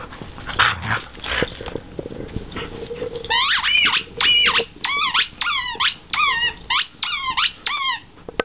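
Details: Siberian Husky vocalizing while opening presents: after rustling and handling noise, a steady series of short falling whine-yips, about two per second, each sliding downward with bright overtones.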